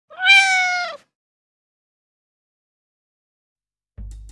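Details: Domestic cat, playful pet at play, gives one clear drawn-out meow of about one second, steady and harmonic-rich, followed by a long silence and a faint low thud at the end.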